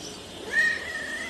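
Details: Chatty pet cat that won't stop talking to its owner gives a single drawn-out, high tonal meow, steady and slightly wavering, after a quiet start; owner's Bengali speech follows.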